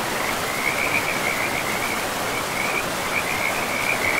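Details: Several bursts of high, rattling frog trills rise and fade in quick succession over the constant hiss and roar of a river flowing through untouched woodland with moss-covered land.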